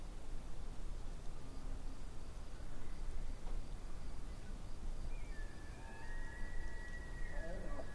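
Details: Elk calling in the distance by a lake, a thin high whistle starting about midway and held for nearly three seconds with faint overtones, set against constant low rumbling ambient noise.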